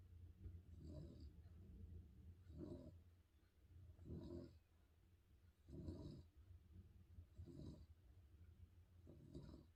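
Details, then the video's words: Sleeping spaniel snores steadily, about one deep, grating breath every two seconds, six in a row, each a low rumbling rasp that rises and falls, with no other sounds in a quiet room. "Snoring spaniel dog"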